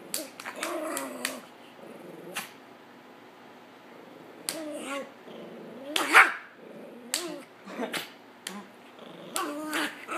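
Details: Hades, a dog, reacts on seeing abuse and steps in, giving a series of short, pitch-bending whining and grumbling vocalisations with quiet gaps between, plus a few sharp taps and knocks.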